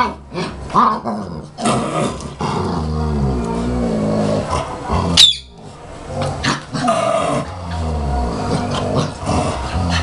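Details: German Shepherd puppy fighting with its mother, recorded in 2012: low rumbling growls with harmonic bands, broken by short yelps and a sharp squeal near the middle, continuing in uneven bursts.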